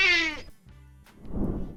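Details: Cat (Felis catus) gives a brief, bright wailing yowl, rich in harmonics and dropping slightly at the end, used mostly toward other cats to announce presence, mark territory or seek a mate, occasionally in pain.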